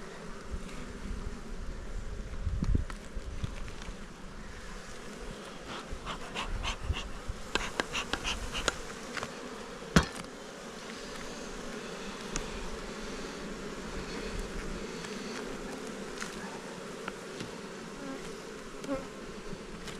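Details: Honey bees kept on Jirisan, a steady low droning hum of many wings with layered tones throughout, broken by scattered sharp clicks and crackling knocks.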